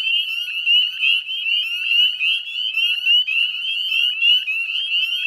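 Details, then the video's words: Northern spring peepers calling in a dense chorus at dusk, 18 May 2020, Chezzetcook salt marsh wetlands, West Chezzetcook, Nova Scotia, Canada; many overlapping high rising peeps blend into a continuous shrill band, with no other sounds. "Northern Spring Peeper Chorus"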